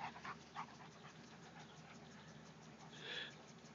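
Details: Playing dogs Bailey, a black Lab puppy, and Roscoe, a huge German Shepherd–Lab mix: a few short whimpering yips at the start, then steady panting and a brief higher whine.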